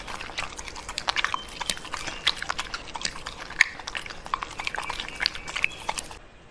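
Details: Pembroke Welsh Corgi eating food, quick crisp crunches and bites packed closely together over a few seconds.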